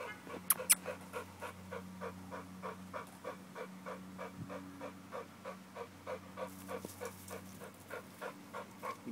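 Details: American bulldog panting hard during a muscle-building workout, quick breathy huffs in a steady rhythm of about three per second, with a couple of sharp clicks near the start and a low steady hum underneath.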